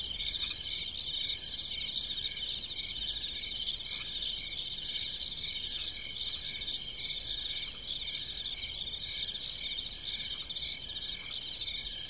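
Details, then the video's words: Crickets heard at night on a farm, chirping in fields as a steady, high-pitched, finely pulsed chorus of overlapping callers with scattered sharper ticks above and no other clear sounds. "Crickets chirping"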